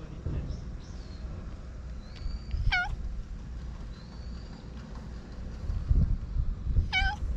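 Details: Stray neighborhood cat giving two short, bright meows about four seconds apart against low-frequency outdoor background noise and faint thin high tones, filmed on a GoPro.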